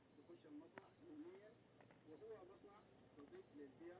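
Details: Insect known only by its sound: a steady, high, shrill trill that pulses in slight surges without pause, with a person talking over it throughout.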